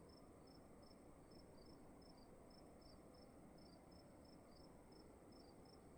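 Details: Two crickets chirping in a room at night, their short high chirps interleaving in a quick, slightly uneven rhythm, heard over a persistent low humming noise.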